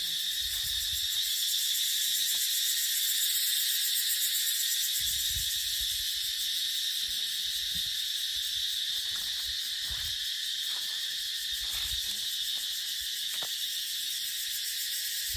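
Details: In dry dipterocarp woodland in the dry season, cicadas keep up a continuous high, rasping drone that pulses rapidly, while scattered low wind gusts rise and fade beneath it.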